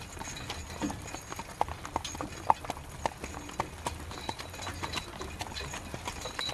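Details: Horse pulling a carriage through rain: sharp clip-clop hoof strikes about every half second over a steady hiss of rainfall, with scattered drip clicks.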